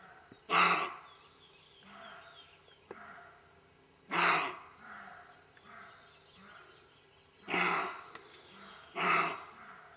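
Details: Roe deer give loud, hoarse, gruff barks in a garden, each a short harsh burst, spaced a few seconds apart.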